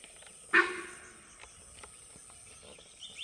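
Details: Sambar deer alarm call recorded on Moyar road in Mudumalai tiger reserve: a single sudden, loud, harsh honking blast lasting about half a second, followed by quiet forest background with faint insects.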